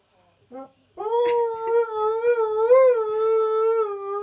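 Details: Husky/Malamute howling along to television adverts indoors; a short yip, then a long sustained howl with gentle wavers and a small rise before holding steady.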